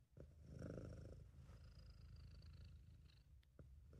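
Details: Continuous low, rattling purr from Sabu, a relaxed and happy British Shorthair cat, swelling briefly near the start then holding an even throaty rumble, with a faint airy whistle of breath over it.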